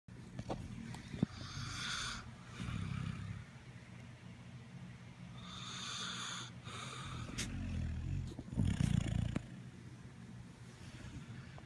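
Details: Buster, a puppy, snoring asleep at 7:30 in the morning: slow rhythmic breaths, each inhale a raspy, breathy rush lasting about a second, recurring every two to three seconds over a low indoor hum.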